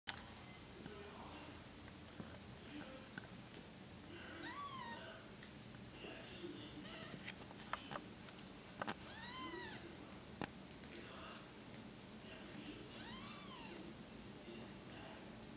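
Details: Five-day-old female Bengal kitten, born with suspected cerebellar hypoplasia, indoors with her mother; a few thin high arched mews, rising then falling, scattered among soft rustling and handling noise.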